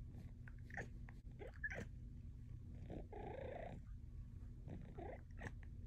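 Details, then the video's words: Luxe, a female Bengal cat, chatting with her owner indoors: short rising meows and chirps, then a longer drawn-out meow, and a final pair of brief chirps, with soft purring and a low room rumble underneath. "My cat talks to me. Compilation of cat chats."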